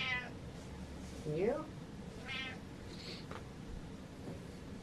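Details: Pet cat meowing for its owner to follow, indoors: several meows of varied shape, including a rising then falling one and a steady harmonic one, mixed with a woman's soft speech in a small room.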